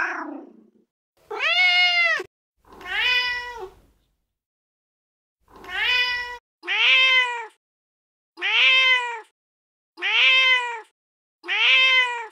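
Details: Feral mother cat talking to her kittens, giving a series of about eight meows of varied length, some long and arching, later ones shorter and evenly spaced, after a faint soft sound at the start.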